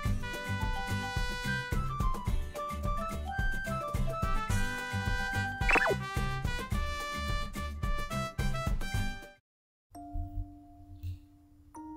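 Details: Upbeat, bouncy instrumental music with plucked and brass-like notes stops abruptly, then a few quiet sustained tones follow.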